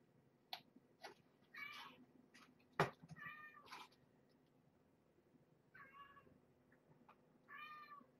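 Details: Kittens and their nursing mother, a rescued former stray, indoors at feeding time on beef and carrots food: several short, thin, high meows spread across the stretch, with knocks, handling noises and a sharp thud.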